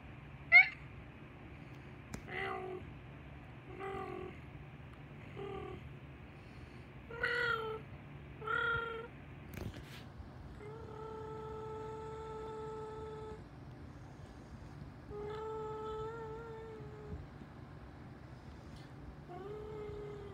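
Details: Adorable tabby cat making strange sounds: a run of short chirping, trilling meows with rising and falling pitch, then several longer drawn-out steady mews, all in a quiet indoor setting with a low hum.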